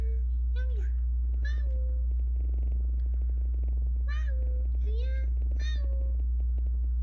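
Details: Street-rescued kitten, one of two that endured a cold snap together, diagnosed with dry FIP with neurological spread: several short rising-falling meows, some with bent tails, spaced about a second apart over a steady low hum.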